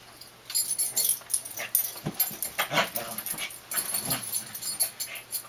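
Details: Dandie Dinmont Terrier pups Dash and Patty at play, a game that goes on all day; close, gravelly growls and snorting whimpers pulse irregularly several times a second amid scrabbling.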